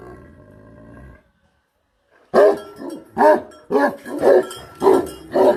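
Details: A livestock guardian dog, identified as a Tibetan Mastiff (Bhote Kukur), gives a run of deep, booming guard barks, roughly two per second.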